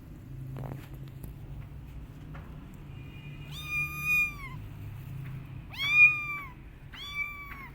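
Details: Kitten left by its mother cat a week earlier and still upset, giving three loud, drawn-out harmonic meows, each slightly falling at the end, spaced about a second and a half apart over low background hum.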